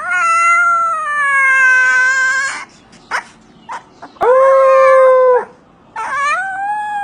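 A Siberian Husky gives long, drawn-out, wavering howls with short quiet gaps between them.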